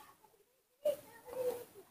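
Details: Newborn hand-raised baby monkey being taught to eat papaya outdoors under a tree: a brief thin, tonal squeaky cry rising then holding steady, followed by a second short squeal, in a quiet setting.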